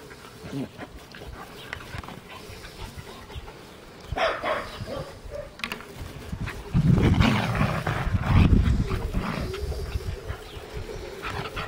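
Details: A Scottish terrier puppy and a puli playing together: rough, low growling bursts swell in the second half, with a sharper yelp-like burst near the middle and light background noise throughout.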